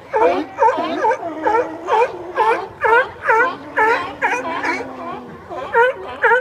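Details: Sea lions in San Francisco; rapid series of hoarse, bark-like calls with bending, wavering tones, repeated about twice a second, a steady drawn-out tone running beneath several of them.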